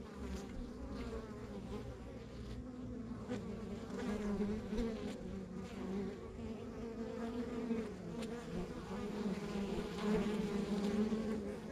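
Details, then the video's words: Continuous buzzing from a rural backyard honey bee hive: a dense, slightly wavering drone in the low-mid range, swelling and easing gently over a dozen seconds, with no other clear sounds. "Sounds of Our Backyard Buzzing Beehive"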